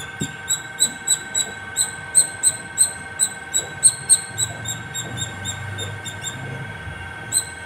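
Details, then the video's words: Squirrel calling non-stop at the top of a terrace: thin, very high chirps repeated steadily about three times a second, each a short sharp squeak, over a low constant electrical hum and faint background rumble. "Non stop singing squirrel"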